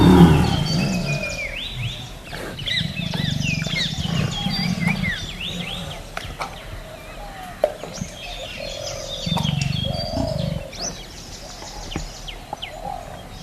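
A tiger gives deep, rumbling roars and growls in two long bursts while birds chirp behind.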